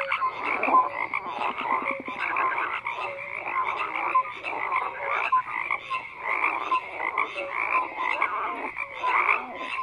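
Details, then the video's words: Croaking frogs in a steady, unbroken chorus. Dense rasping and clicking pulses are interspersed with short clear tonal notes, and the overall loudness shifts gently throughout. "FROGS CROAKING"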